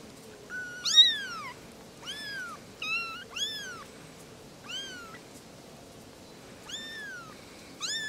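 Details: Kittens, three little ones, chattering together in high, squeaky mews that arch up and down, some short and clipped, others drawn out, spread irregularly with pauses of a second or more.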